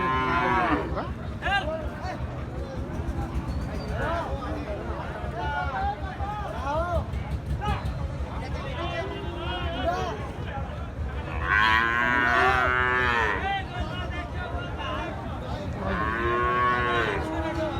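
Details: Gir and Sahiwal breed bull calves for sale at the busy Ambari cattle market; repeated bellowing moos with strong harmonics, the loudest near the middle and the end, over constant talk from buyers, crowd noise and music.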